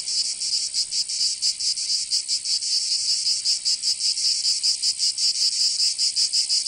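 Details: Cicadas in summer in southern France's Provence, their high shrill buzzing pulsing quickly in a continuous throbbing chorus, with no birds or voices.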